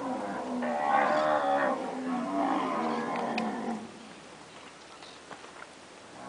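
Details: Pedigree (PO) Nelore cows after calving give a long wavering moo lasting nearly four seconds, then quieter background with faint clicks and scattered small sounds.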